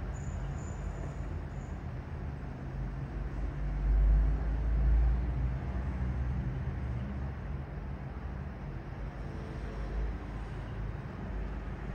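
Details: A steady low rumble of vehicle or road noise, with no animal voices.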